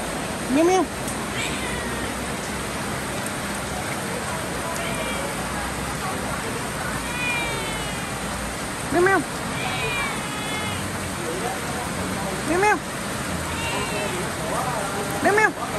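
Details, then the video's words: Cats meowing in the rain: short arching meows near 0.7, 9, 12.7 and 15.5 seconds rise above a steady hiss of rainfall, with fainter wavering higher cries between them. "Cats and rain"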